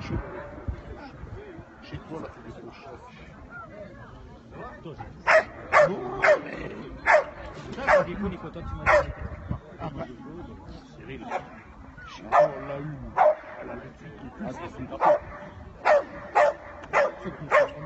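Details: Dog barking in a show ring at St Avold, France: sharp, loud barks about once a second in two runs after a quiet opening, over steady background talk in French from people nearby.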